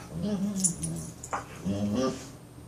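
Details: Australian Shepherd making funny noises: a short, low, nasal whine that wavers, then a second grumbling whine, with faint jingling in the room.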